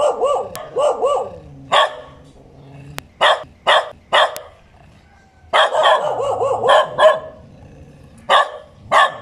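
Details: Dog barking in short bursts, some single sharp barks and some quick runs of two or three, separated by quieter gaps with faint whining.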